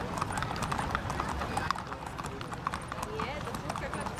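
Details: Galloping hooves from a horse race held 31 May 2015, heard as a fast, thudding patter without pause, mixed with loud spoken commentary and crowd-like background noise.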